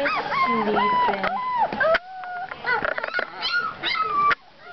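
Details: Two-week-old puppies in a litter, with high arched whines and squeals rising and falling near the top of the voice, some stretched out and some clipped short, while a woman talks over the first half.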